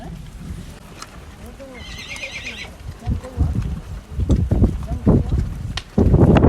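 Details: A horse in Kyrgyzstan gives a short, quavering whinny under a second long, over people talking nearby, followed by loud thumps and rustling outdoors.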